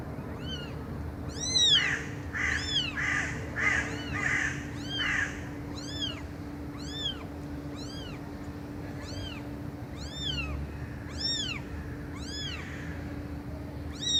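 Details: Steady series of high-pitched arched cat mews, about one per second, with harsher blurred calls mixed in during the first five seconds, over a continuous hum and background noise.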